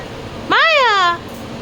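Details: An Indian street dog named Maya, a distemper survivor, vocalizing while her owner talks to her indoors: a single drawn-out whining howl, rising then slowly falling, lasting about two-thirds of a second, with soft room noise around it.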